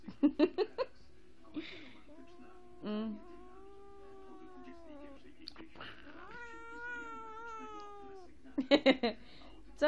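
Two sustained, moaning yowls from a Sphynx cat hold a steady, slightly wavering pitch for about two seconds each. Short bursts of human speech come before, between and after the cries.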